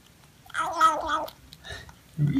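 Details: A new female kitten being offered sardines gives a drawn, slightly rasping meow lasting under a second, then a brief quieter sound, indoors near a person speaking softly.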